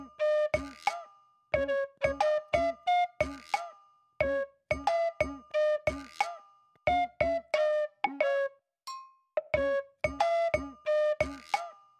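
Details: Bright, bouncy synthesized tones play in quick plucked bursts, with no animal voice anywhere.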